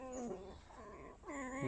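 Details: Tame red fox kept indoors, squeaking at a visitor who pets her while she playfully bites: two wavering, nasal, whine-like squeals split by a short gap, the second rising and wobbling.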